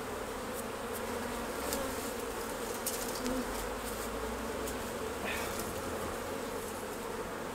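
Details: Dense, even drone of a honey bee colony as the hives are opened for the honey harvest, a thick steady hum with faint scattered ticks and taps above it.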